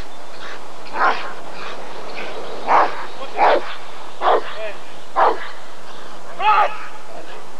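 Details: Barking Rottweiler at the ADRK breed survey, Körung 1994: six short, sharp barks spaced roughly a second apart, the final one doubled, against steady background chatter.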